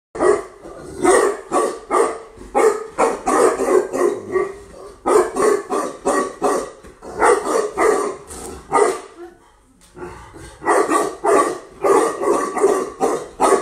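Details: Female Tibetan Mastiff, newly imported from Russia, barking in rapid deep bursts of several barks each, with short pauses near five and ten seconds before the volley resumes.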